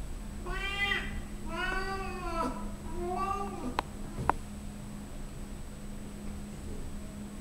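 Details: Loud 14-year-old female Siamese cat gives three loud, drawn-out meows, each harmonic-rich and slightly falling, while showing off her belly.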